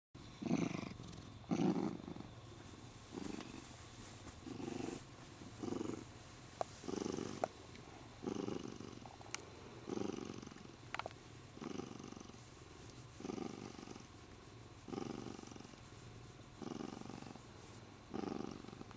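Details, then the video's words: Spoiled pet Siamese cat purring while being stroked, happy and holding the owner's arm; rhythmic rasping purr in breathing pulses about every second, with a few soft clicks and rustles. "Happy siamese cat Sean loves to hold my arm"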